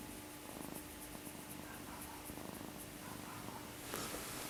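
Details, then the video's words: Sleeping cat snoring with a soft, rapid, steady rasping pulse throughout, over a constant low electrical hum, and a brief sharp noise near the end. "Blackie the Cat: Snoring"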